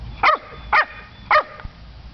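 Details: Domestic dog giving three quick, sharp barks, the first two close together and the third after a short pause, each crisp and bright, over low background hum.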